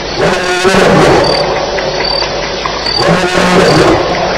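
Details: Wild lions fighting at night at Elephant Plains, July 9, 2010, around 2:11am: loud, harsh growling roars with snarling bursts, heavy and coarse, with crickets faintly in the background.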